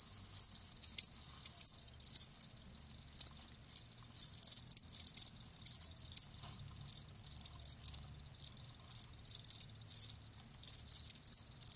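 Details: Chorus of live crickets, natural sound: dense stream of shrill high-pitched chirps, bursts overlapping almost continuously with brief gaps, steady quiet background hum.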